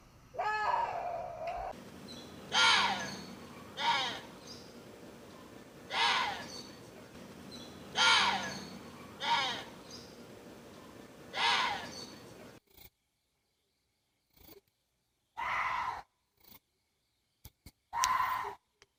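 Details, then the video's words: Water deer uttering a run of harsh, screechy yelps at irregular intervals, starting with one lower drawn cry, then several bright rasping barks; the later part is choppy, with abrupt silent gaps between clipped bursts. "WATER DEER SOUND EFFECT 고라니 울음소리"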